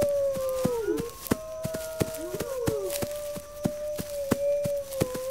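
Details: Wolves howling together, a call said to gather the pack's defenses: long level howls with two voices sliding down across each other, accompanied by regular sharp clicking knocks.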